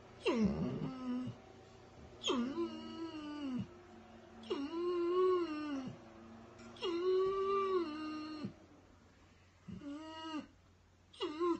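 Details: Weimaraner crying in a series of six moaning wails, each a second or more long, rising slightly then drooping and breaking off, with short pauses between.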